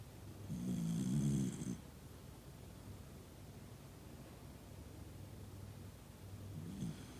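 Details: Noa the Toy Poodle, sound asleep surrounded by family, produces a long, low rattling snore lasting over a second, then quiet breathing, and a softer snore starts just before the end.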